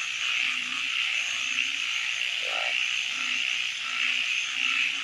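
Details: Night frog chorus: a continuous high buzzing trill carries throughout, with faint low croaks repeating and a single louder, mid-pitched croak about halfway through.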